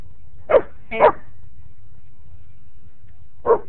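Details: German Shepherd in a backyard barking at a neighbour's dog: three short, deep, gruff barks, two in quick succession about half a second apart, then a pause of over two seconds before a single final bark; quiet background.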